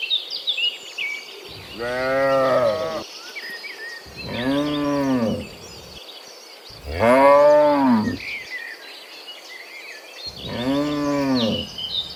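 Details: Cows mooing in the morning while returning from the field to the pen, four loud harmonic moos each about 1.5 seconds, arched and slightly falling, spaced roughly every three seconds, with bird chirps and insect buzz in the background.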